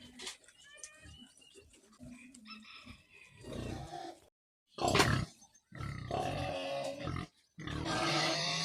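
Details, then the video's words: Piglets give short harmonic squeals early on, then loud broadband squealing bursts broken by abrupt silent gaps, with low grunting underneath. "ဝက်ပေါက် ချောချောလေးတွေ"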